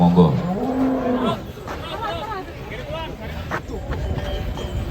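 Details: Cattle at a cattle contest in Kediri, Indonesia: one short, rising-then-level moo opens the clip, followed by loudspeaker speech, crowd noise and music.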